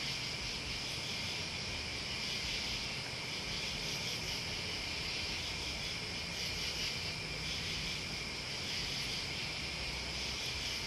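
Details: A steady wall of high-pitched cricket and insect trilling, continuous and even with no pauses, over a soft low rumble like distant wind or traffic.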